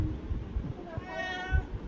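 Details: Hungry domestic cat meowing to ask for food: one drawn-out, harmonic meow rising slightly then falling, lasting under a second, over low rumbling background and nearby people speaking Bengali.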